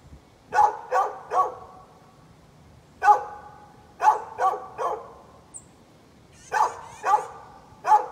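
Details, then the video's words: A neighbor's dog barking on 13 November 2020: sharp barks in clusters of three, separated by short pauses, then more bursts, each bark bright and punchy with no other sounds competing. "Neighbor's barking dog"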